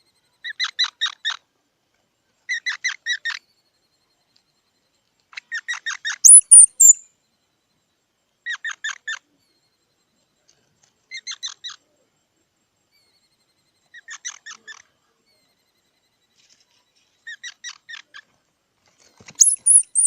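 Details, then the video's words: Short clusters of clipped, nasal chips from a squirrel, repeated roughly every three seconds over twenty seconds, twice joined by a thin high squeal; quiet background. "សំលេងដង្ហែន Squirrel 🐿️ Sound"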